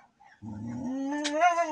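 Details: Siberian Husky arguing: a drawn-out, tonal, whining vocal that starts low and slides upward, rich in harmonics, swelling louder toward the end after a quiet start.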